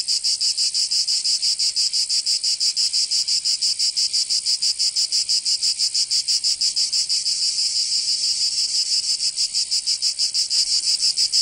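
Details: Summer cicada chorus in Provence, southern France, a continuous shrill buzz broken into quick regular pulses about three per second, evenly sustained across the whole stretch without other voices.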